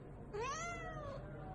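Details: Domestic cat giving a single clear meow, rising then slowly falling in a long drawn-out arc, over a quiet indoor background with faint low hum.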